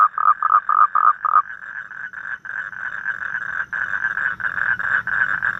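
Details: In the evening in Vietnam, a toad gives a series of short, evenly spaced croaking pulses that run together into a steady, buzzing trill.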